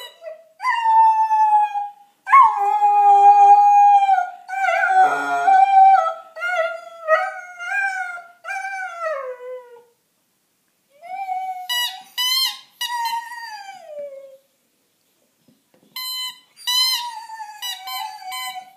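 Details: Young female Dalmatian, five months old, with her squeaky bunny toy, giving long sustained howls that quaver and bend downward, several in a row, then shorter falling howls mixed with brief high-pitched toy squeaks.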